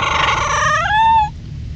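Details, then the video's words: Dog from Sacramento, California, that loves McDonald's, 'talking' while wanting food: a drawn-out harmonic whine-howl that rises in pitch and holds steady before stopping abruptly, over a low rumbling background. "Cute Funny Talking Dog from Sacramento, Ca"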